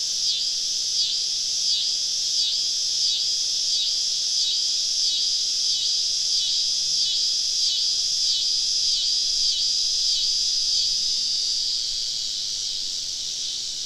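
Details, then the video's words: Many cicadas surrounding a woodland camp on a Southern summer evening, loud shrill buzzing that throbs in even pulses roughly every half second, fading slightly near the end. "Southern Evening Summer Cicada Symphony"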